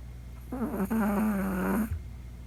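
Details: Chihuahua puppy Poco snoring in deep sleep at night, its first snoring; one long, droning, nasal snore lasting over a second, steady and low-pitched with a slight wavering, then silence.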